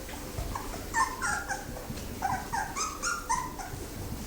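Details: Litter of thirteen fawn Labrador Retriever puppies, siblings; rapid high squeaky whines and yelps overlapping in quick succession.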